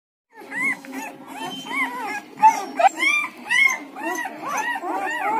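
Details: Newborn Siberian Husky puppies between one and ten days old, several together, giving high arching whimpers and squeaky squeals that overlap and quicken toward the end.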